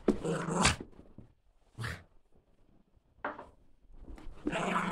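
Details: Female Border Terrier named Leeloo at play, hopping and skipping in a small room: several harsh, breathy growl bursts, the first and last longest, with quieter gaps between them.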